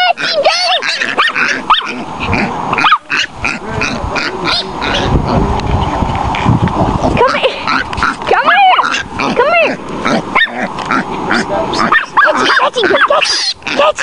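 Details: Tootie, a Chihuahua, bays a wild boar piglet: rapid, high, yappy barks repeat almost nonstop, with a harsh, noisy squealing stretch in the middle and a few human voices in the background.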